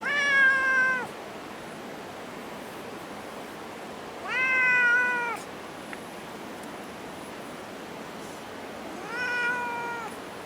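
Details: A friendly cat sitting on an exhaust vent in Minoo Park, recorded 28 March 2024. Three clear, tonal meows about every four to five seconds, each slightly falling at the end, over steady background hiss.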